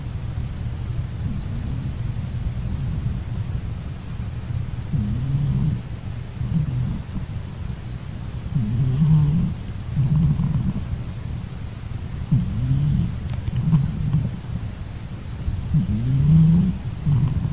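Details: Pet cat Mourek sleeping after a night's rest, before another nap ahead of lunch, snoring in slow rhythmic low rumbles about seventeen times a minute. Each breath carries a rising nasal whine, with soft breathy exhales between. The room is otherwise quiet.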